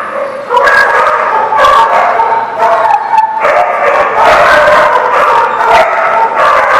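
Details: Group of dogs, recorded 2/11/19, barking almost without pause; many voices overlap into a continuous chorus of sharp barks and higher yips, the loudness staying high throughout.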